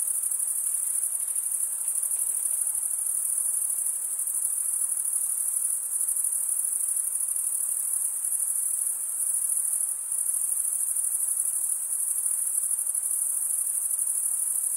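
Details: Crickets, mostly males, chirping by rubbing their wings together: a steady, very high-pitched continuous trill that hums unbroken throughout, with slight pulsing in loudness and no other sounds.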